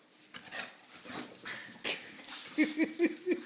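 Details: Dozer, a three-year-old English Bulldog, wrestling indoors with a boy: snuffling and huffing breaths, then four short, low grunts spaced about a third of a second apart, with light movement noise.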